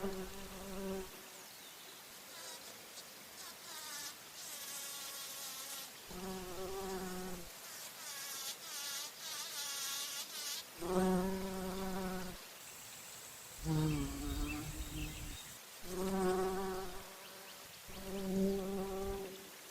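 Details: Bumblebee drinking nectar at flowers and flying, its buzz coming in several separate bouts of a few seconds each, a low droning hum with rich overtones, broken by quieter gaps and some brief higher hissing noise.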